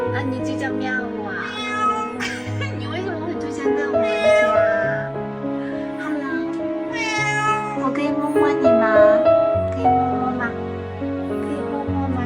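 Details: White cat with beautiful odd-coloured eyes lingers at a gate, crying without pause; it later proves to have a badly swollen, festering face. Arching meows repeat over a music bed, with some speech.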